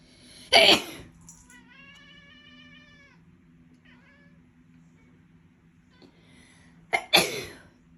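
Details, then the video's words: A male pet cat in Port Republic, Maryland, USA, yelling at its owner after a sneeze: one drawn-out, harmonic meow, slightly falling, between two loud bursts of human sneezing. "Cat Gets Upset When Owner Sneezes"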